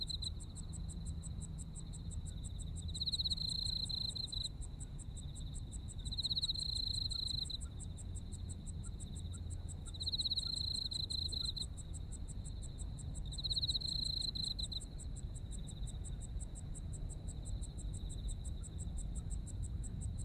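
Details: Autumn insects in Japan: a steady high ringing trill with louder swelling bursts about every three seconds, over a fast, even train of sharp higher chirps around four per second, with a low background rumble.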